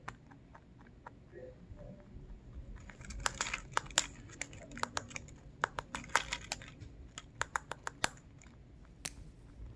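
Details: Pet rabbit ZZ, a Lionhead and Dutch mixed breed, eating indoors, recorded very close up; crisp crunching and tearing bites, sparse at first, then dense rapid bursts from about three seconds, over a soft low room hum.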